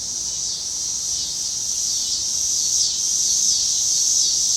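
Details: Cicadas in Illinois give a steady, high-pitched electric buzz that drones on without a break.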